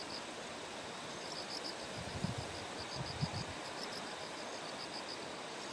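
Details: Morning beside terraced paddies in Kikuchi, Kumamoto, Japan, on September 6 ahead of Typhoon No. 10. Bell crickets produce a run of high, evenly pulsed notes beneath flowing stream noise, with a few low dull knocks.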